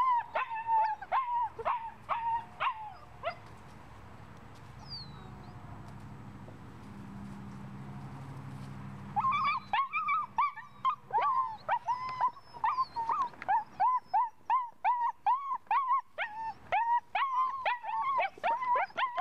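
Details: Puppy with ball drive gives quick high yelping whines at the start, then a quieter stretch of rustling, before the excited high whimpers resume rapidly and continue to the end.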